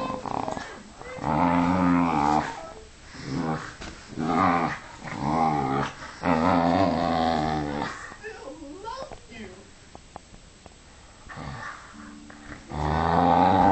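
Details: Pet dog Vixie tugging at a jumper sleeve in play, growling in a run of deep, rough bursts of one to two seconds each with short gaps, then a quieter stretch of rustling and a human voice before the growling returns.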